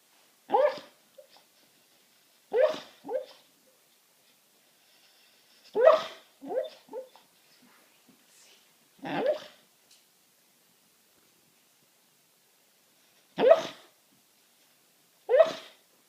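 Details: Domestic dog asleep on a sofa, making weird muffled bark-like sounds in its sleep: short soft huffs and whimpering woofs, often in pairs, spaced irregularly a few seconds apart with quiet between.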